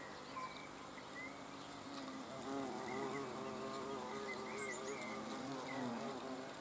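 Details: Hornets observed on 30 June 2020 give a steady, wavering low buzz with stacked droning tones, its pitch gently rising and falling; scattered bird chirps and whistles sound faintly higher up throughout.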